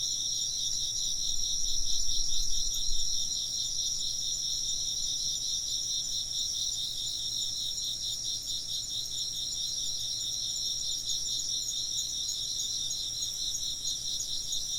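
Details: Chirping insects form a dense, continuous chorus of shrill pulsing trills in stacked high bands, with a brief low rumble early on and a soft steady hum underneath.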